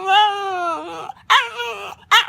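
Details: Dog making a funny, weird noise: a long, high, tonal whine that slides slowly downward for about a second, followed by two short, sharp yips.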